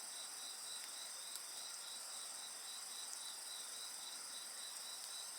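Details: Dense insect song at night-time bonfire ambience: shrill sustained ringing plus rapid rhythmic pulsed chirps throughout, with faint scattered fire crackles.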